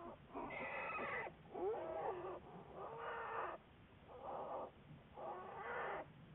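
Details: American black bear from a long-term research study, recorded February 10, 2014, giving five coarse, buzzy cries of about a second each at a steady uneven rhythm, some with bending tones.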